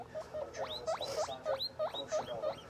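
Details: Tiny pet guinea pigs calling toward the camera: a quick series of rising squeaky whistles, each sweeping sharply upward, about three per second, over a faint background hum.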